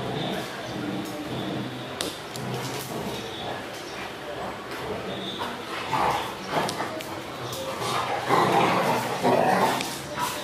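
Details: Golden retriever and Belgian Malinois cross dog vocalising indoors: short yips and bursts of barking, louder toward the end, mixed with scattered clicks and a human voice talking throughout.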